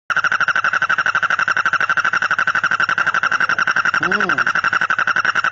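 A frog gives a fast, steady train of rasping pulses, with a brief voice-like squeal near the end.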